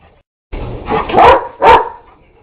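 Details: A neighbour's dog reacts to a vacuum cleaner that is not running. A rustling noise starts, then two loud, harsh barks follow close together, the second one cleaner and more abrupt.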